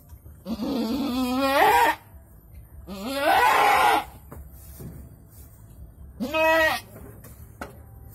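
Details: Goat during the birth of two kids, bleating loudly: three long wavering, harmonic-rich bleats, the first two rising and quavering for over a second each, the last shorter, separated by brief pauses with faint background noise.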